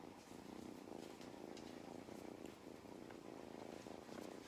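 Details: On a County Kilkenny farm in Ireland, Mustard the cat purrs loudly while getting belly rubs; an even, rhythmic rumbling purr fills the short stretch.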